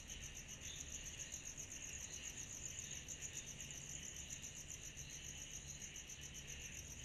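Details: Cicadas chorusing on a summer night: a dense, steady, high-pitched pulsing trill with a softer lower buzzing band beneath, continuous throughout, over faint low background rumble.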